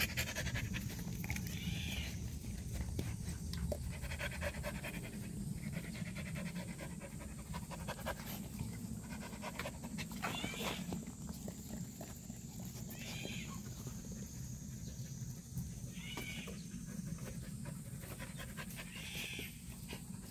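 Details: Rapid rhythmic panting from a purebred black Jindo, around four raspy breaths each second sustained for twenty seconds, set against steady low background hum and occasional soft high chirps.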